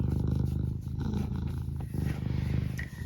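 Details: Eric the house cat keeps up a rough, rapid low purr, swelling and fading across the clip, with faint household noise.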